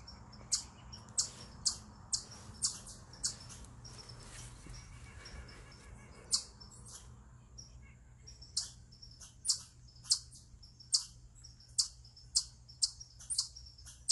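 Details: Eastern chipmunk calling from a rock in what is described as a stress call: bursts of high, clipped chips, a pause of a few seconds midway, then the chipping resumes at a quicker pace.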